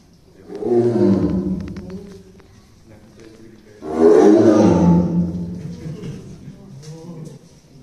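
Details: Tigers Dai and Ouga growling in their cage at Ehime Prefectural Tobe Zoo, Tobe, Ehime, Japan, in early December 2023; two deep, rough, rumbling growls, each about two seconds long, rising and fading, with faint indoor background noise.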